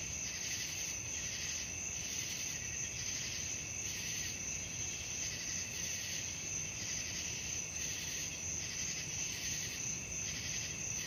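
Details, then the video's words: Crickets calling at night, offered as relaxing sleep sound: a continuous high buzzy trill that swells in soft pulses roughly three times a second, over a quiet low background hiss. "suara jangkrik malam"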